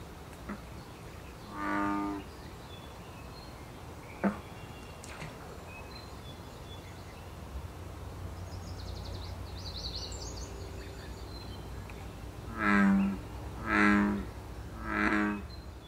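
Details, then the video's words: An American bullfrog in Canada during breeding season gives deep, resonant bellowing calls, a short series of low droning notes about a second apart. "Saison des amours du ouaouaron/Breeding season of the Bullfrog"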